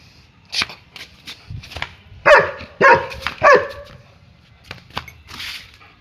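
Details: German Shepherd playing, giving a few short loud barks in a quick cluster near the middle, with scattered clicks, shuffling and soft knocks around them.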